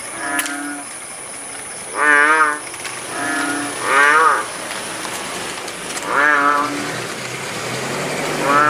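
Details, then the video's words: Kodok bangkong frogs croaking in the village at Paya Bujok Tunong, Langsa, Aceh, once the rain had let up: five buzzy, bleating croaks, several wavering in pitch, over a hissy background with a faint high tone. "Suara kodok bangkong di pedesaan"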